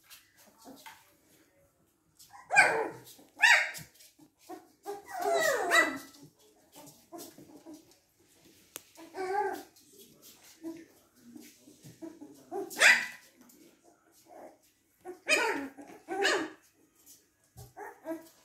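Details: Three-week-old Golden Retriever puppies at play indoors, giving short yelps, squeaks and whimpers in scattered bursts, with soft rustling and a few quiet human sounds between them.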